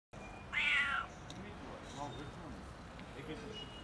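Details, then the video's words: An unusual cat meowing harshly to ask for food: a single loud, rasping meow lasting about half a second, followed by quiet background hiss. "Strange cat meows harshly to ask for food"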